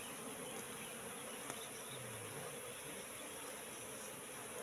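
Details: Wild Asian honey bees (Apis cerana) in a three-month-old trap box, Indonesia: a steady, even hum of many bees, a continuous low drone with a soft hiss above and one sharp click partway through.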